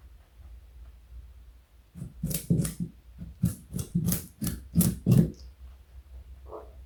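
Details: A pet male rabbit (Oryctolagus cuniculus) weighing 4.6 kg crunches on a carrot, giving a run of quick, dry, crackling chewing bites.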